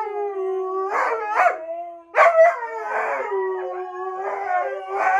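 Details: Siberian Husky giving a sustained, steady howl with wavering pitch, broken by rough, noisy bursts of vocalising around each second and a sharp yelp midway.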